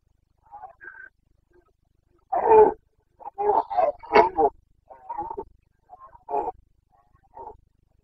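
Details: During the September 2022 breeding season in the Bucovina mountains of Romania, a Carpathian stag lets out a series of rough, guttural roars and grunts of varying length, some clipped and stacked close together, with quieter calls between.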